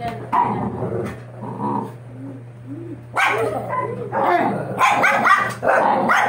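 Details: Doberman puppies, 60 days old, after ear cropping; soft wavering whines early, then louder overlapping yelps and cries in the second half, with a constant low hum behind.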